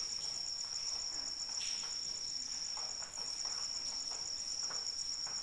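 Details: Continuous high-pitched cricket trill, evenly pulsed and unbroken, heard during rainfall; gentle rain hiss and occasional louder droplet splashes sit beneath the insect's ringing tone.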